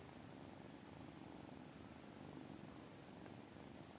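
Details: Continuous soft purring from tiny kittens, an even low rumble holding steady from start to finish with no other sounds.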